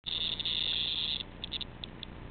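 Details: A cicada, brought indoors by a cat and batted about by the household cats, struggles to escape. It gives a loud, shrill continuous buzz for over a second, then breaks into short sputtering buzzes.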